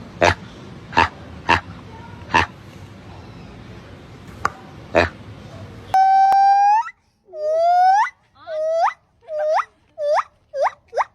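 A monkey gives a run of squealing, hooked calls that come faster and faster, after some sharp knocks.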